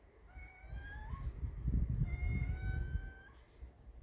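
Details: Kitten facing an adult cat, giving two drawn-out, tonal meows, the first rising at its end and the second long and level, over a steady low rumbling background noise.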